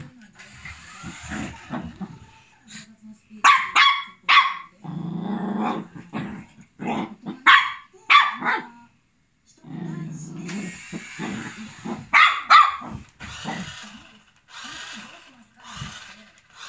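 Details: Male long coat Chihuahua Kuu, 1 year 9 months old, black, tan and white, attacks a radio-controlled Lamborghini, seeing things crawling on the ground as enemies: bursts of sharp barks broken by low rumbling growls, then more scattered barking.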